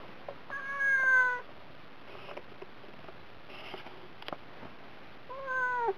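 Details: Domestic cat on a diet, meowing insistently for food: two drawn-out, harmonic-rich meows, one near the start and one at the end, each holding steady then dipping slightly, with quiet room noise and faint clicks between.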